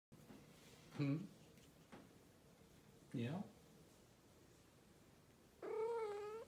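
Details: Persian cat chatting to its owner indoors: two short low murmured chirps, then a longer harmonic meow near the end, with a faint room hum.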